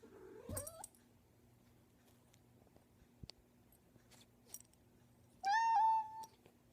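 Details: Persistent pet cat meowing at a bedroom door indoors; a short rising meow at the start, then quiet with faint knocks, followed by a louder drawn-out steady meow near the end.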